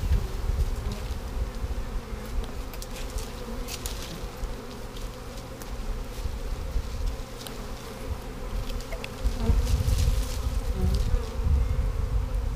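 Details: Honey bees from a swarm being boxed in 2017, the third swarm caught that year; a steady throbbing buzz with a deep rumble runs throughout, louder near the end, dotted with crackling knocks and handling noise.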